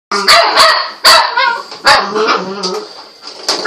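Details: A Patterdale Terrier puppy playing with a spring door stop gives sharp, high barks in a quick irregular series of about five, with squeaky yelps and whining between them.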